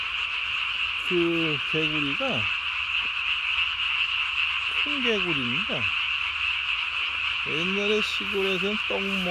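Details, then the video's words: Calling at night on 3 May 2020 with body-sized vocal sacs, Japanese tree frogs keep up a steady shrill chorus, overlaid by three runs of lower, stepped, falling croaks at the start, middle and end. "밤에 우는 청개구리 울음판이 몸통 만큼 크네요?"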